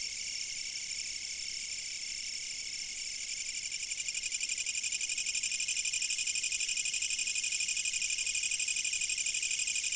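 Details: Chorus of chirping insects captured on a fixed camera, a high, buzzy trill pulsing evenly around four times a second, swelling noticeably louder after the first few seconds and holding there.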